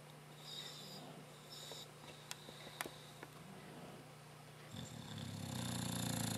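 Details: Rocky, a pet dog, sleeping and snoring indoors, loud enough to drown out the TV: a steady low hum with faint breaths and a few clicks, then a rough, low rasping snore building from about 5 seconds to the end.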